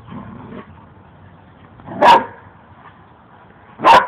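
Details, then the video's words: Two dogs playing; two short sharp barks about two seconds apart, broadband bursts after a faint low rumble at the start, otherwise quiet. "dogs playing"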